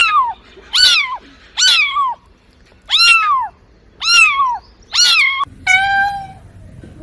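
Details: Cats and kittens meowing: seven high, arched, harmonic-rich meows, each rising then sliding down, about one every 0.7 seconds. The final meow is steadier and flatter over a faint background hum; there are brief quiet gaps between calls.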